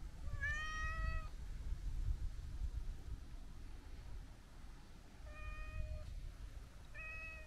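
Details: Long-haired brown tabby-and-white stray cat being petted beside the sea, uttering three drawn-out level meows, one at the start and two near the end, with a quiet pause of low wind noise between.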